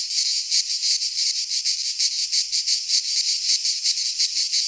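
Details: Several cicadas sing in a Greek pine forest in midsummer, their high, rasping buzz beating in fairly even pulses close to three each second, loud and without pause.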